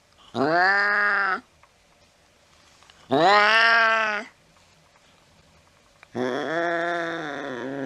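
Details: Cat chasing a mouse in the late night: two loud, bleating, drawn-out meows about a second each, spaced three seconds apart, then a longer wavering yowl that is still going at the end.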